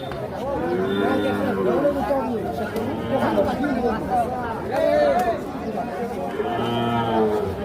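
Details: Young calves, said to be four or five months old, at the Ambari market on 28/3/25. A few nasal moos rise and fall through a thick layer of men talking and market clatter.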